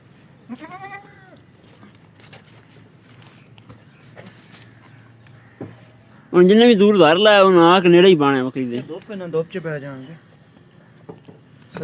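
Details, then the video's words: Goat on a farm in Punjab after giving birth to two newborn kids: a brief wavering bleat early on, then from about six seconds a loud run of harmonic, quavering bleats lasting several seconds, over faint background noise and music. "My Goat gave birth to two baby goats"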